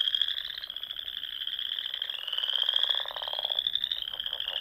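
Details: Frogs singing in spring at dusk in the rolling dunes of Nebraska's Sandhills, near small lakes and ponds: a dense chorus of overlapping trills forming a steady high band, with lower pulsed croaks rising and fading underneath.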